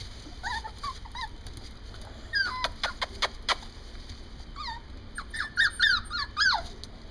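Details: Morkies (Maltese and Yorkie cross) Bourbon and Dauphine: high, bending whines and squeaky yelps in short bursts, some rising and falling in pitch, with several sharp clicks or taps in between.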